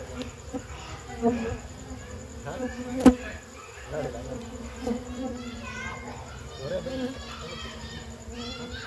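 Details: Honey bees disturbed while their honey is taken from the nest at night, just after Lebaran and evening prayer. A steady low droning hum runs throughout, with close voices talking over it and a sharp knock midway.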